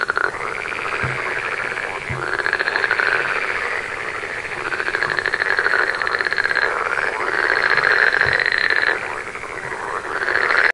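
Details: Green tree frogs croak in a dense, continuous chorus of rasping, pulsed calls in a forest near an Indian village.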